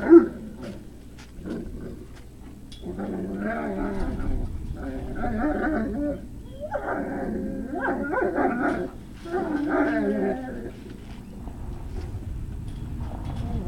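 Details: Great Dane puppies at Puppy Hill on an evening of 3 May 2019 keep up a steady stream of overlapping whines, whimpers and rough little growls. The chorus comes in long wavering stretches with brief lulls between.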